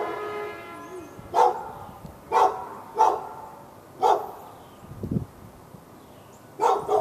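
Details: A dog in Raleigh, North Carolina, barks at the dog next door and other dogs within earshot, February 15, 2012; a steady run of single barks roughly once a second, ending in a quick pair, over a faint low hum.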